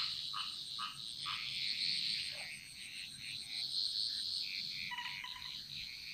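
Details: Frogs chorusing in the Bali jungle, a mostly high-pitched mix of short chirps and clicks, a few lower croaks near the start and a brief pulsed call near the end, over a constant high hiss.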